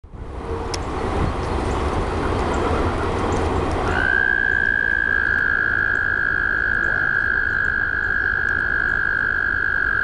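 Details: Frogs at a pond: a dense, rough pulsing chorus fills the whole recording, and from the fourth second a steady, high, even trill sets in and holds to the end.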